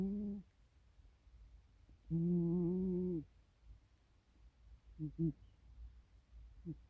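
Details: Snoring domestic cat, dubbed a world-champion snorer, in a small room: a short low drone, then a longer steady tonal snore of over a second, followed by quick doubled, stuttering pulses.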